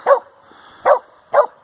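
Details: Samoyed barking on a halfpipe in a skate park in Nairn, Scotland: three short, sharp barks about half a second apart, with a man praising the dog just before and after.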